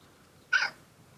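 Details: Domestic cat letting out an involuntary groan of pleasure while being massaged indoors: one short, bright, voiced sound of about a quarter second with clear stacked harmonics, then quiet room tone.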